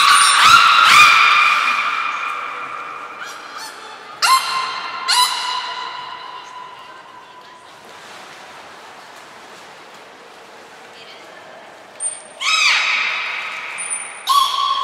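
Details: Training session with belugas Mirai and Nico, Port of Nagoya Public Aquarium, February 2021. A sustained harmonic call fades, sharp rising squeals repeat at four and five seconds, and brief high trainer's whistles precede further bright upswept calls.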